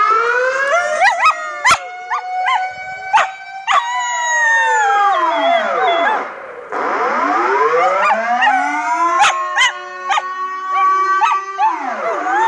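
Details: A female Border Collie howls in response to a loud air horn, in long, wavering tones that swoop up and down, sirenlike and rich in overtones.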